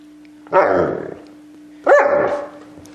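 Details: A male Alaskan Malamute sitting on the couch while being teased about it gives two drawn-out, rising-then-falling woo-like vocalizations.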